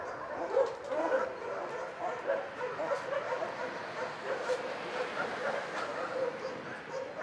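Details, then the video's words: Many dogs barking in an animal shelter; a dense, continuous chorus of overlapping barks and yips, some distant and echoing, with no pause throughout. "Szczekające psy w schronisku"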